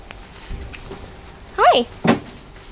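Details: Kittens Rose and Rain, about two weeks old, with their mother: one short, high harmonic mew that rises and then falls, followed by a thump and a woman's voice speaking quietly nearby.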